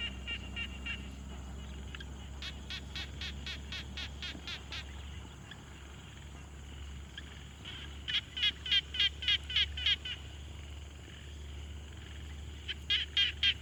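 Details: Frogs at a quiet pond, field-recorded on a Tascam Portacapture X6: bursts of short, sharp, pulsed notes repeated rapidly in trains of about ten, pausing between bouts, over a steady low rumble.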